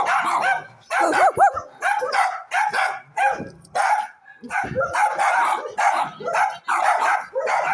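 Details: Dogs barking in quick clusters of harsh, mid-pitched barks, with a brief rising-and-falling whine near the start and short gaps between volleys.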